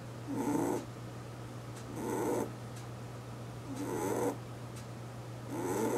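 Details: An eight-year-old house rabbit snoring in its sleep, giving four soft grating breaths spaced about every 1.8 seconds, each with a slight wheeze, over a faint continuous electrical hum.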